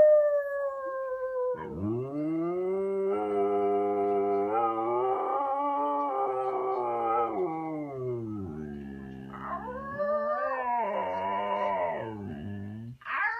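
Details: Khaleesi, a female Siberian Husky, talks because she wants to go for a walk: long drawn-out howling moans that rise and fall in pitch, broken by a brief pause and then a wavering, yodel-like section.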